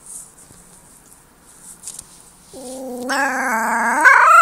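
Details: Young wolf pup howls after a quiet start, a single drawn-out harmonic wail rising slightly and growing louder over about two seconds, with faint background hiss.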